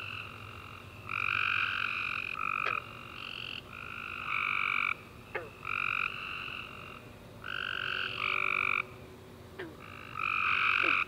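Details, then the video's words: Tree frogs chirping at night after a warm rainy summer day: overlapping sustained trilled bursts of one to two seconds, stacked in bright bands, with several callers alternating and brief sharp clicks between. "Tree Frog Chorus After A Warm Rainy Day - 10 Hours Tree Frogs Chirping You To Sleep"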